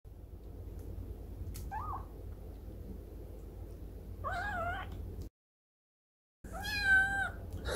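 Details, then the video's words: Domestic cat meowing while demanding food: a short faint mew, a wavering mid-pitched meow, then after a brief gap a louder drawn-out meow with rich harmonics, over steady low background hum. "Meow! - Cat Meowing"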